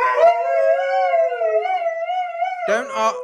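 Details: Husky dog at home, a Siberian Husky questioned about who made a mess, gives a long steady howl held at nearly even pitch, then a rougher, broken vocal burst at the end, with human speech around it.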